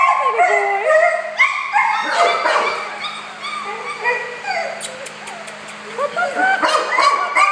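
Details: A litter of happy four-week-old boy puppies cries in long wavering whines and drawn-out little howls, bending up and down in pitch, with quieter yips between and a woman's voice now and then.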